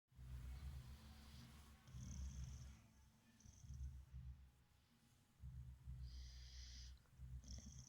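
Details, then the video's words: Boxer dog sleeping soundly on a bed, snoring in low rumbling bursts of about a second each with short pauses between breaths, plus faint higher hissy tones in places. "Boxer dog Borys funny sleeps and snoring. Pies bokser zabawnie śpi i chrapie."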